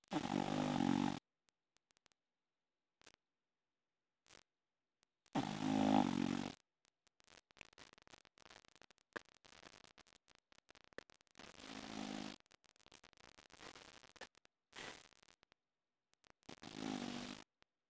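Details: An English Bulldog sleeping upside down on his back snores in loud, rumbling, throaty bursts spaced several seconds apart. English Bulldog.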